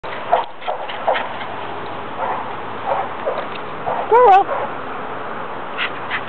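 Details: Dog playing at a dog park lets out one brief whimpering yelp that bends up then down in pitch, against a steady outdoor rumble with scattered clicks and knocks.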